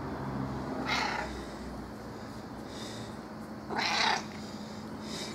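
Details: Kitty, a female domestic cat, usually reserved but turning affectionate, her meow dropping a few tones: two drawn-out, harmonic-rich meows about three seconds apart, with fainter mews between, over steady indoor background noise.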